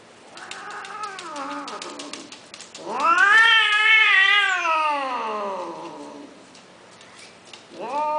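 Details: Male cats offered for mating give long, loud caterwauling yowls with wavering, rising-then-falling pitch, one drawn out for about three seconds, followed by a shorter rising wail.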